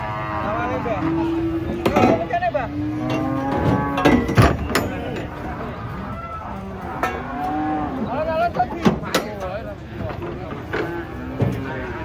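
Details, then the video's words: Giant cattle being unloaded from a truck, several overlapping harmonic moos rising and falling across the clip, with sharp knocks, clatter and voices of people around them. "SAPI RAKSASA LUCU TURUN DARI TRUK"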